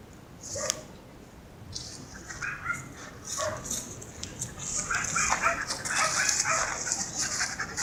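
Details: Siberian Husky Mero, walking on a leash with its student owner, whimpers in quick wavering bursts that grow busier toward the end, set against a loud steady high-pitched hiss and a few sharp clicks.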